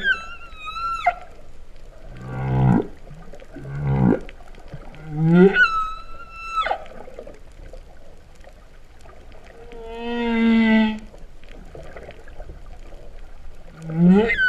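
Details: Underwater humpback whale song, Vava'u, Tonga, September 2015, with cow-like mooing units: two low pulsed groans, a rising moan into a high held whistle, a long steady mid-pitched tone, then another upward sweep.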